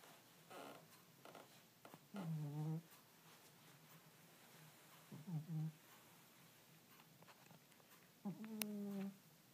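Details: Domestic cat asleep, snoring in a small room: short nasal, whistly breath sounds that rise slightly, recurring roughly every three seconds, with soft low rumbling between them.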